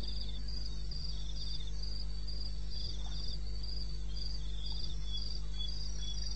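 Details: Night chorus of crickets from the eastern Botswana wilderness, 21 May 2016 at 2:30 am: bright, evenly spaced trilled chirps alternating between a higher and a slightly lower caller, with a low background hum.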